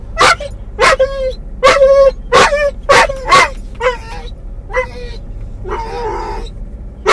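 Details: Muzzled doberman/collie cross named Mungle, riding in a car, calls out for his missing toy: clipped yips and barks with whining harmonic tails, roughly one per second, ending in a longer rough whimper, engine hum beneath.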